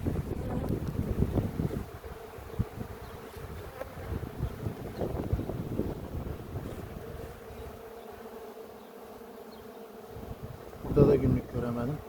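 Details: Honey bees at an open hive during a queen check after honey harvest in a village near Ceyhan, Turkey, the colony described as aggressive; steady low hum of many bees with wind and handling rustle, a clatter near the end.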